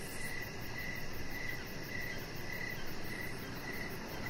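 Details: Short stretch of evening cricket chirps recorded on a deck with a pet chihuahua puppy present; thin high chirps come about twice per second over a dull rumbling hum.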